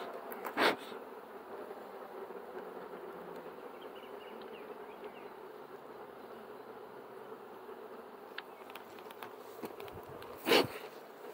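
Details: Honey bees droning steadily around a hive during beekeeping work, a smooth unbroken buzz lasting throughout, with two loud knocks near the start and the end.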